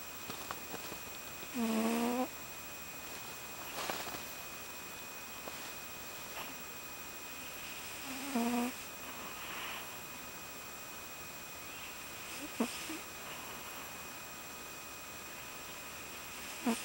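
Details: Sleeping cat snoring comfortably, producing two short tonal, nasal snores about seven seconds apart, with faint breathing between them over a steady background hum.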